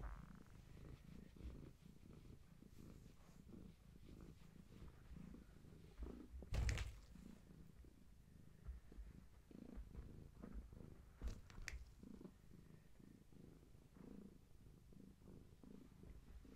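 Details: Continuous deep purring from Gaia, a long-haired tabby family cat, at bedtime with her kittens, watched on camera; the even pulsing rumble is broken by a couple of sharp knocks and rustling.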